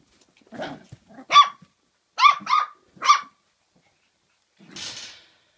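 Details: Kooikerhondje puppies, 48 days old, at a kennel in Sweden: high, sharp yapping barks in a quick burst of about five, two nearly back to back, then a softer breathy yelp.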